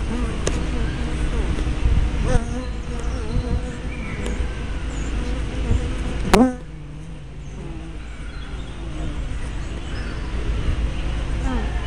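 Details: Buzzing of honey bees at the entrance of a hive, recorded by a small spy camera: a steady swarm hum, a loud bee sweeping past the microphone near six seconds, then quieter buzzing.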